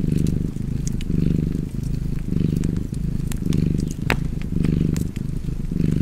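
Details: Low rumbling cat purr in a fireplace setting. The purr pulses in even breathing waves just under a second apart, with occasional sharp wood-fire crackles over it.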